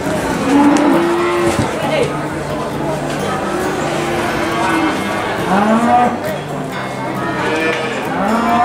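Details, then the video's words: Mooing cattle at the Boyolali cattle market, Indonesia: long, low moos that bend upward and then fall, several overlapping from different animals, set against steady hubbub and voices of the market. "Suara hewan sapi di pasar"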